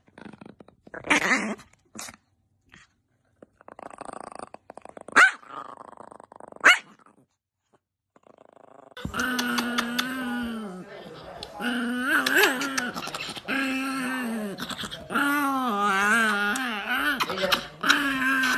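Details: Angry Chihuahua: sparse sharp yaps at first, then a long run of harmonic, wavering snarling growls that rise and fall, with quick barks broken in, indoors.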